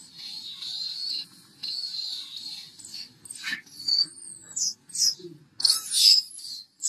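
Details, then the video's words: Upset baby macaque, jumping and crying after losing its temper: drawn-out high whining cries, then sharper squeals and a curved, wavering wail, with faint low rustling underneath. "Baby monkey lost his temper jumping and crying"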